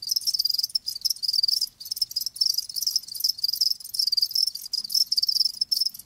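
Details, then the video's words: A steady, bright, high trilling of live crickets comes in rapid pulsed bursts, broken by short gaps roughly every half second to a second. Nothing else is heard. "Live Crickets 60min "Natural Sound" ASMR"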